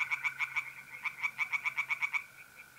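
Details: Tree frogs singing in a pond on a mid-April night in North-East Italy: fast runs of sharp, rapidly repeated croaks broken by a short pause, over the steady, unbroken lower trill of mole crickets.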